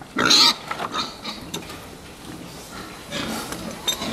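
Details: Fattening pigs in a pen, short broadband squeals and grunts in bursts near the start and again after three seconds, with quieter shuffling between.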